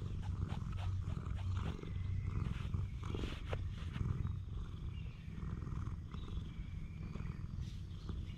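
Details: Stray cat on a cat island purring while being affectionate, filmed on a GoPro HERO8 Black; a steady low rumbling purr fills the clip, with faint brief higher chirps and rustling above it.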